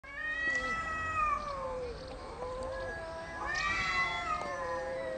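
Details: Domestic cats arguing loudly over territory without fighting: long, wavering, harmonic yowls that rise and fall, one drawn-out howl followed by a second, higher surging wail.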